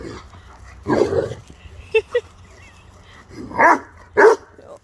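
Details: Rhodesian Ridgeback, a male dog, greets his owner when picked up from the pup sitter: a throaty growl-bark, two quick yips, then two louder howling, moaning vocalizations near the end, with a person talking affectionately.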